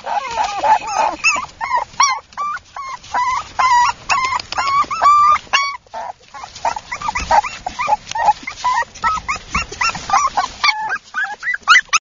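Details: Several Mini Toy Poodle pups yipping and whimpering in quick, overlapping bursts of high, bent whines, a brief lull near the middle before the busy yelping resumes and carries on to the end.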